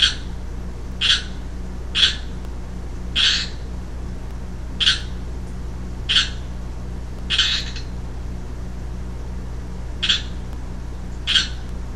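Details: Young male Pacific chorus frog calling, recorded 3-15-12: about nine loud, raspy, broadband croaks spaced roughly one to two seconds apart, some doubled, over a steady low electrical hum.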